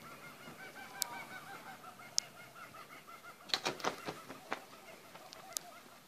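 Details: Male black flying-fox in a backyard, recorded 11/09/2014, giving a rapid series of short nasal, honking calls, followed by sharp clicks and scratchy rustling bursts.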